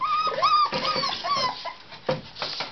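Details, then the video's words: Playful Tibetan Terrier puppies born 23 October, indoors at a kennel. High, wavering whines and short yips crowd the first half, then fade into shuffling and scattered scuffling noises. "Tibeti terrier kiskutyák - (tibetan puppies)"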